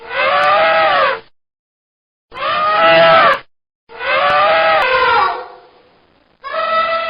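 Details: Elephant trumpeting: four loud, brassy blasts, each around a second long with rich stacked harmonics, separated by short silences; the third blast trails off into a fading rumble before the last one starts.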